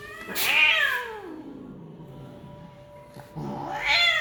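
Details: Persian cat, a female during mating with a punch-face male: a loud harmonic wail that falls from high to low over a second, a quiet pause with a faint steady tone, then a second rising yowl.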